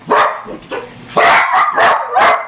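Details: Wiener dogs (Dachshunds) barking at Christmas time: a handful of sharp, harsh barks in quick succession, the later ones louder and closer together.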